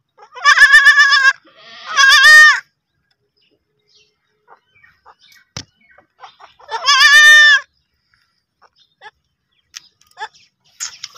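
Young goats give high, wavering bleats in short bursts, with quiet gaps between calls.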